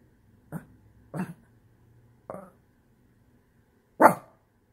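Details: A Shih Tzu, frustrated after someone took his couch space, throws a tantrum with four short, gruff, husky barks spaced unevenly, grumbling between, the last loudest and sharpest.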